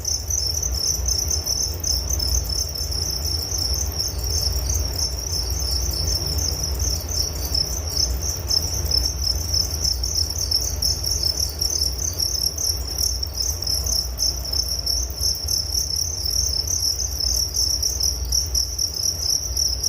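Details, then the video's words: A continuous chorus of crickets, offered as a soothing nature sound for falling asleep, trills on unbroken in a shrill pulsing band with a second fainter high band above, while a deep steady rumble sits underneath throughout. "Relaksasi Suara Jangkrik Penghantar tidur || Nature Sound of Crickets"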